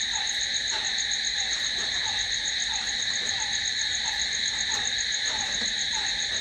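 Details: Crickets at night keep up an unbroken high, ringing drone in stacked tones, accompanied by a quieter lower chirp recurring at an uneven pace of roughly two or three per second.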